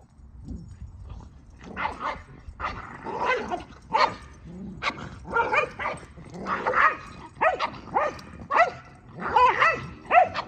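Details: Keeshond and Boston Terrier jousting in rough play, a dense run of repeated harmonic growls, grumbles and short barks, roughly one burst every half second, with pitch bends and scuffling between them.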